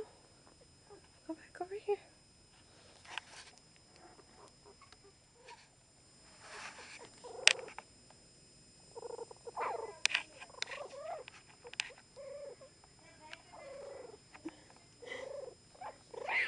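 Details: Freshly born Chihuahua pups from Sweet Pea's litter of three, including Bandit, give repeated thin squeaking cries in short bursts, while a woman talks softly nearby indoors.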